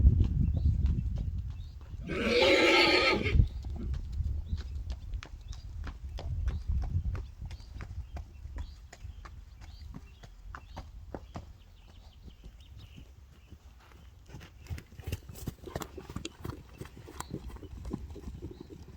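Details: Friesian horses in a herd reacting to an unfamiliar new horse that is not accepted and becomes scared. A loud, harsh, harmonic squeal or whinny lasts about a second early on, followed by rapid hoof clatter and trampling on hard ground.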